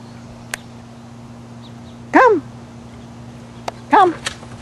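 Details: Female pet dog at a swimming spot gives two loud, rising-then-falling whining yelps about two seconds apart, with a steady low hum in the background and a woman calling her to come.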